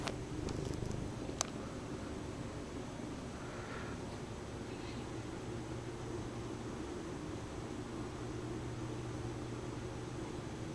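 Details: Lucy, a Bombay cat indoors, obsessed with a stuffed toy horse she drags around the house and kneads. A low, steady rumbling purr, strongest in the opening seconds, sits under faint room noise, with a soft click and a brief murmur.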